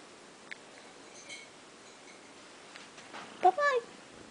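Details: Fuzzy, a pet house cat indoors that had been biting and clawing its owner, gives a short, falling, two-part meow near the end, after faint rustling and soft speech.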